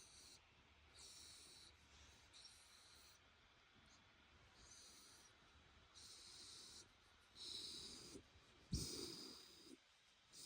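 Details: Shiba Inu Ranmaru, drowsy from having its head rubbed on a futon, breathes out whistling 'fii' snorts and occasional grunting 'fugo' sounds. Faint hissing exhales come irregularly, ending in a louder snuffling burst.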